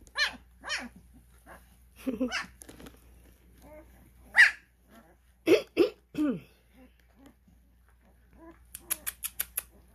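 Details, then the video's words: Cane Corso puppies, twelve days old, being called during early recall practice: scattered short squeaky yelps and whines, a few louder cries near the middle, and a rapid burst of sharp clicks at the end, with a woman calling the babies. "Cane Corso Puppies:12 days old-Starting Recall"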